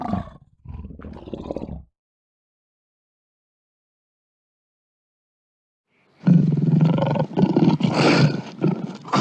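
A lion growls low and rough, with a harsh rumbling burst after a pause.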